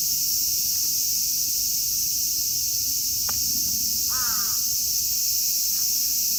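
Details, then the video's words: Cicadas singing together in Kitatama District, Tokyo, Japan, where Platypleura kaempferi, Graptopsaltria nigrofuscata and Hyalessa maculaticollis are present; a steady, dense, high hissing drone fills the whole recording, with a crow's short caw breaking in midway. "Cicada sounds of Japanese nature"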